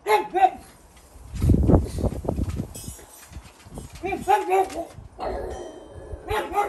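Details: Two pugs on high alert in a backyard give short, sharp, repeated barks to warn off intruders, with low rumbling noise between bursts.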